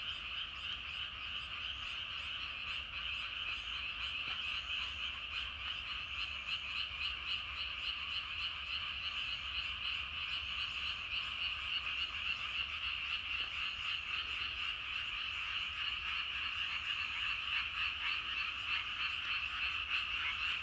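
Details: Huge evening frog chorus from rice paddies, countless overlapping croaks pulsing about three times a second, growing slightly louder and more rhythmic toward the end.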